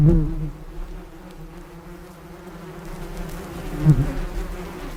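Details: Low droning bee buzz, loud at the very start, then a fainter even hum that strengthens again near the end with one sharp close pass.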